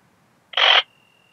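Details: A single rasping, broadband chirp of about a third of a second from a ringed bush-cricket, Biedermannsdorf, Austria, 8 August 2022, made audible with an ultrasound detector (Pettersson D 100), noise-reduced; a faint steady tone trails after.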